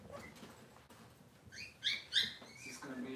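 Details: Cavalier King Charles Spaniel puppies in a home kitchen on a cloudy Monday morning give a few short, high, squeaky whines that rise then fall, clustered mid-clip over a faint indoor background.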